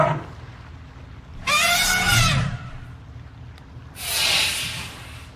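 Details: An elephant in a river, with a baby and its parents making a happy noise, gives a wavering, high squeal with strong harmonics, followed by a harsh, breathy blast.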